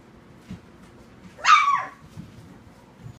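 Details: Puppy in a puppy nursery in Huntington Station with tiny breeds such as Yorkies, Maltese and Shih-Tzu, giving a single loud, short yelp that jumps sharply up then slides down, over soft shuffling and faint background noise.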